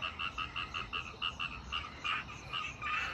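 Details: Late at night near midnight in Chengdu, a chorus of frogs or toads (the speaker is unsure which) calls all night beneath a parked RV, bright clipped croaks overlapping in a steady, busy rhythm.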